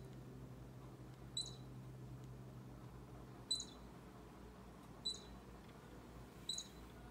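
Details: Four brief, piercing squeaks from a baby squirrel near an orange cat named Bushy, spaced unevenly over several seconds against a low steady background hum.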